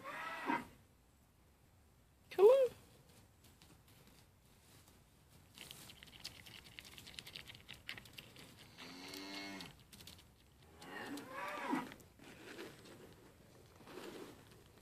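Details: Mini LaMancha goats, the sale-barn pair Maggie and Abbie being tamed and eating from a hand, give several bleats: one short sharp rising cry early, then longer wavering, quavering bleats later, with rustling and handling noise between.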